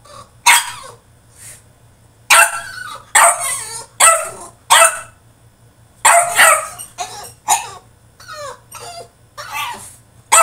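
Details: French Bulldog protesting in his cage with a string of sharp, rough barks and yips, some doubled, separated by short pauses, a faint low hum in the room.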